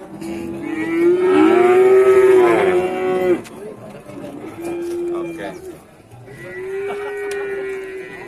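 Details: Cattle at a livestock market in Randudongkal, Pemalang, Central Java, Indonesia, offered at a loss with nobody buying; a loud drawn-out moo rising then falling, followed by two shorter, softer lowing calls amid market noise.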